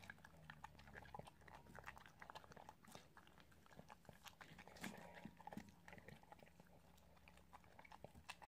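An Italian Greyhound chews its food, producing sharp crunches and wet clicks that come in quick, uneven bursts. A low steady hum sits underneath, as in a small indoor room.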